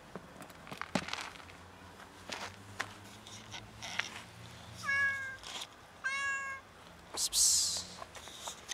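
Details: A starving, very skinny cat meows loudly, asking for food: two clear, harmonic-rich meows close together about a second apart, with footsteps and rustling before them and a brief hiss of noise afterward.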